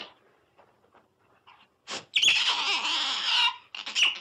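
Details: Otter giving a few short, soft squeaks, then a sudden loud high-pitched squealing burst held for over a second, followed by brief sharp chirps; indoors-sounding, no other animals.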